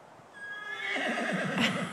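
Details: Tennessee Walking Horse, impatient while waiting for his turn to go for a ride and answering his owner as she speaks. A quavering whinny swells from soft to loud, its wavering low tones rippling with tremolo under higher harmonics.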